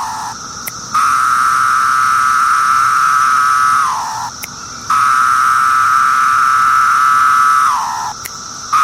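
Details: Singing periodical cicadas from the Brood X emergence: long droning phrases about three seconds each, repeated, every one ending in a falling, slurred drop in pitch, with brief ticking clicks between and a thin high buzz behind.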